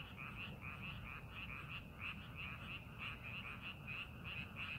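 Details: Many frogs call from a rice paddy being prepared for farming, in a dense chorus of quick, rattling croaks over a low background rumble.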